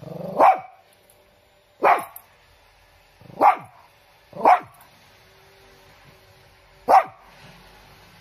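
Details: Chiro, a large pet Shih Tzu, barking: five short, sharp, mid-pitched barks at uneven gaps of one to two and a half seconds, with near silence between them.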